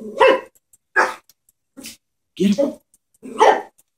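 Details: Chihuahua barking at a stuffed toy horse it fears, four or five short harsh yaps in four seconds, each quick and punchy with brief silences between.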